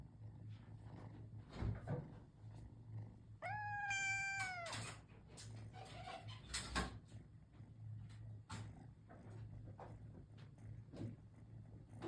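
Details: Ragamuffin cat, caged, with a paw poking out: a single clear meow about a second long, slightly falling, amid low steady hum, scattered clicks and knocks.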